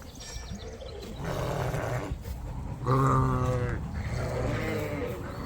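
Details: Rams at an outdoor feeding platform with a lean-to shelter on a sheep farm, moved off pasture for grass regrowth and sore feet from a wet paddock; one wavering, harmonic bleat about a second long mid-clip, amid rustling and background noise.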